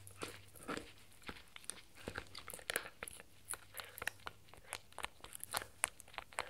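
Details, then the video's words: Crunching of a raw beef bone by Spencer, a Shetland Sheepdog puppy aged 4 months, in a small indoor room: dense clusters of bright cracking bites, some heavier thuds between, steady faint background hum, no talking. "Puppy 🐶 Dog Eating Raw Bone🥩 Crunchy and Satisfying Sounds"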